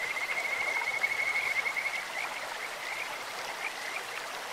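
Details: Kajika frog in a clear stream: a steady, high whistled trill held for about two seconds, then breaking into short scattered chirps, with rushing stream water throughout.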